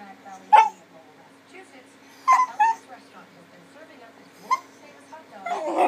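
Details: Male puppy begging for his owner's dinner plate so he can lick it; short, high yips and whimpering barks in separate bursts, a pair close together near two and a half seconds, then a final louder rush of sound at the end.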